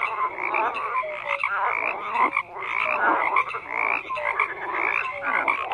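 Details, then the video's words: A frog chorus of overlapping croaks forms a continuous buzzing wall of sound that rises in bursts about once a second, with scattered short clear notes from individual callers. "FROGS CROAKING"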